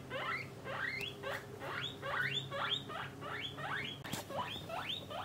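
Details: Squealing upslurred whistles from pet guinea pigs, a family of parent and young housed in separate male and female cages, each note sweeping up and flattening at the top, nine or so in five seconds.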